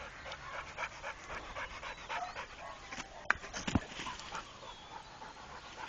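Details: Rako, a trained Pit Bull, panting in quick, somewhat uneven breathy bursts, with a couple of sharp clicks or knocks near the middle and faint background noise.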